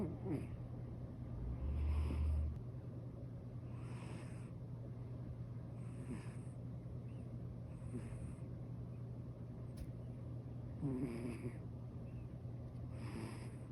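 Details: Senior calico cat snoring contentedly while asleep, with airy hissing breaths roughly every two seconds, a couple carrying a faint rough buzz, against a constant low background hum.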